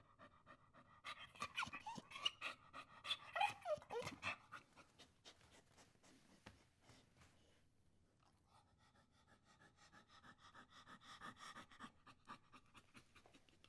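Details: Pit Bull loose on the grass in Sudoeste, a central district of Brasília, Brazil: uneven, breathy panting comes in bursts, with a louder stretch early on, a pause, and then softer, quicker panting resuming near the end.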